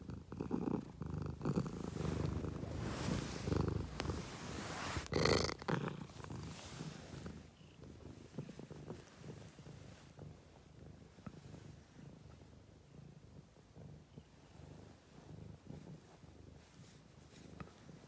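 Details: Steady low purring from a cat, throbbing rapidly under a wash of broadband hiss and handling noise that fades after the first few seconds.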